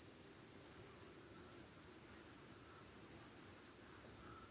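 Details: Wild crickets during the vazante, or ebb, season give an unbroken, piercing high-pitched trill. Its loudness wavers slightly every second or so over a soft lower insect hum.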